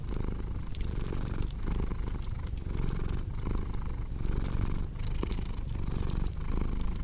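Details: Low, continuous cat purr rising and falling in breath-length cycles under frequent snapping crackles of a burning fireplace.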